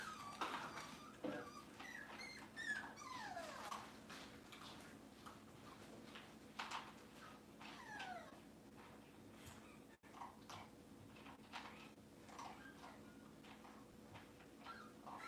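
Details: Cavalier King Charles Spaniel puppies indoors on a kitchen camera on a cloudy Monday morning, giving thin, high whimpers that slide downward in short bursts near the start and again midway, over a steady low indoor hum.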